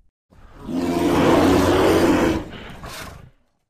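A bear gives a loud, rough, drawn-out roar that fades into a breathy tail.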